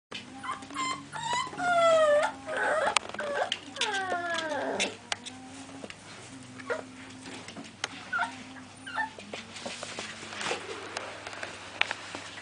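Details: American Staffordshire Terrier puppies from the Guardian Team FCI kennel, litter F5. Clear whimpers and whines, with pitch sweeping down and up in bursts over the first five seconds, then shorter scattered whines over a steady low hum.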